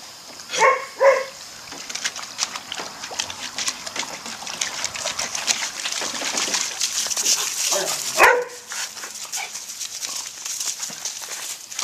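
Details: Puppies at play in a pool, May 15, 2011. Two quick sharp barks open the recording, then steady water splashing and sloshing, and a third bark rises out of the splashing later on.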